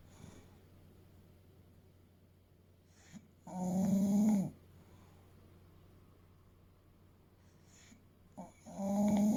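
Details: Fuku, an eight-year-old male English Bulldog weighing about 30 kg, snores while asleep indoors: two rough, rumbling snores several seconds apart, with quiet breathing between.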